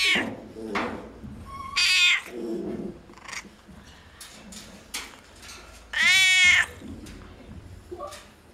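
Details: Noisy cats in a veterinary clinic: a short mewing chirp, then two loud drawn-out meows four seconds apart, the second bending downward, with faint voices and small knocks around them.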